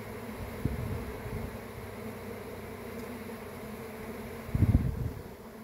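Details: A swarm of honey bees hums in a constant low drone, and a brief louder burst of buzzing comes near the end.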